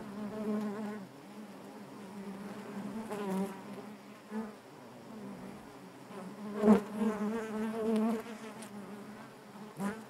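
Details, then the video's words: Honey bees droning in their hive, a continuous low buzz with bright overtones that wavers in pitch, with a loud burst around six and a half seconds and a brief click at the end. "bees therapy hive natural buzzing sound"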